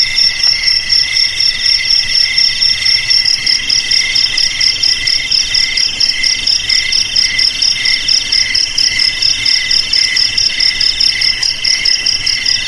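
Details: Shrill cricket chirping meant to keep rats out of the house, garage, storeroom or rice field; bright pulsed trills pulse roughly twice per second in several overlapping high voices, steady and even.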